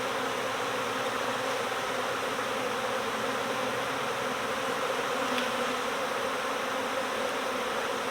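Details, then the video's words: Massed honeybee swarm buzz, bees gathered from next door as swarm season begins: a steady, rich droning hum with a faint tick around five seconds, otherwise uninterrupted. "My Bees Swarmed! Next Door Honeybee Recovery"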